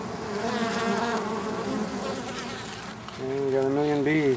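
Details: Male honey bee drones at a colony in an oak tree, Tampa, Florida, as it readies to swarm; a clear droning hum with bright harmonic bands, wavering and then rising louder and higher near the end as a bee passes close.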